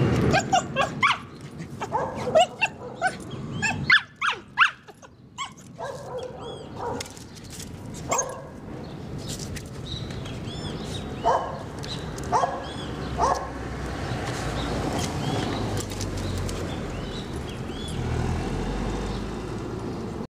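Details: Border Collie named Shirra, making friends with a crazy neighbour: a burst of sharp, loud barks and yelps packed into the first eight seconds, then quieter, scattered yaps and whines over a steady background rumble.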